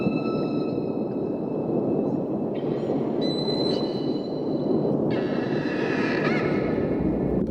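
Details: Humpback whale (Megaptera novaeangliae), song: male announcing his presence to females, courtship.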